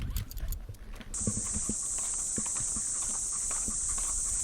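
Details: Cicadas singing in the trees of a Japanese park on an early summer morning. A steady, high, hissing buzz starts after about one second and holds unbroken to the end. Soft footsteps crunch on the path at the start.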